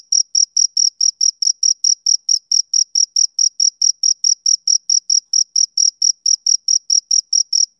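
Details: Chirping male cricket, summer evening: bright, high, clipped pulses tick along at roughly three and a half per second, very regular throughout, with a thin upper overtone and a clean, quiet background.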